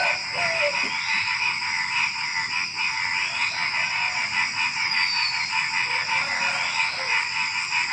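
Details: Frogs calling at night just before dawn among a lively chorus of small animals, rapid rough croaks pulsing around mid pitch over steady shrill insect trilling, with occasional thin descending whistles above.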